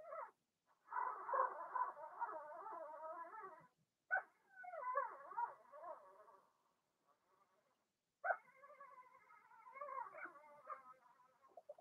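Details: Blenheim Cavalier King Charles Spaniel puppies from a litter of six (two girls, four boys) born March 7–8 in a home puppy pen, during potty training; long harmonic whines and squealing cries in three bursts separated by short silences.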